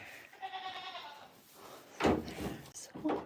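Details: Goat kept on a farm during a very cold winter morning, giving a wavering, harmonic bleat lasting about a second, followed by a person talking close by and indoor shuffling noises.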